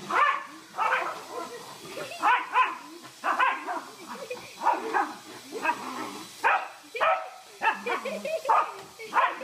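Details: Mona Lisa, a pet Pembroke corgi, barking in short repeated bursts about once a second for nine seconds, with human voices faint underneath.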